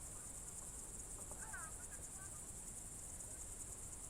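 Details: Evening crickets in June 2023 at Novye Buregi, Novgorod region, Russia, keep up a continuous high, shimmering pulsed trill, while a brief faint bird twitter sounds near the middle over soft low rumble.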